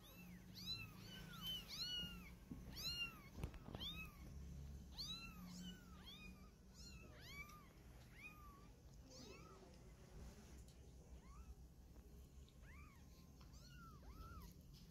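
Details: Domestic cats, a mother cat carrying her kittens in her mouth to move them; rapid series of short, high arching mews, roughly one per second, bunched in bursts then sparser toward the end, over a low steady indoor hum.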